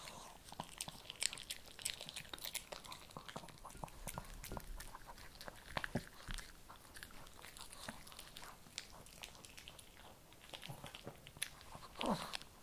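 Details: Kibble being chewed by a Shih Tzu indoors, a steady run of brittle crunches and clicking bites, sometimes clustered, with a brief louder scrape near the end.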